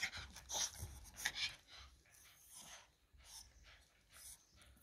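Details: Joey, a male Biewer Yorkshire Terrier born 2018 in the Netherlands, during an episode of paroxysmal dyskinesia indoors, filmed for a neurologist; quick, breathy, irregular panting bursts, roughly one to two per second, in a quiet small room.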